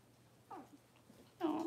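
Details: Six-week-old Cavalier King Charles Spaniel puppies indoors in a puppy pen, being dewormed and having toenails trimmed; a short faint whine, then a louder high, wavering cry rising and falling in the last moments.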